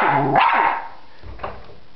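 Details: Dog barking at a butterfly in a yard: a single loud, harmonic bark with a brief falling tail, then a quieter short yelp.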